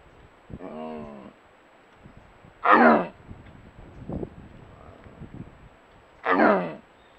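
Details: Wild jaguar caught by a camera trap in a mangrove ecosystem in Nayarit, western Mexico, during a monitoring program: a low, harmonic, grunting call followed by two loud, harsh, rasping bursts spaced about three and a half seconds apart.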